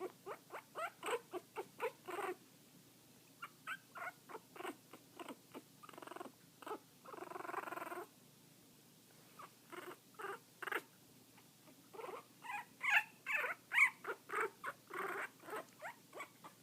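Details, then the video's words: Kitten aged 2 weeks 3 days making an odd noise likened to a cross between a purr and a growl, indoors: rhythmic breathy pulses about once a second, with a few longer rasping bursts between short gaps. "making his weird noise! Cross between a purr and chewbaca!"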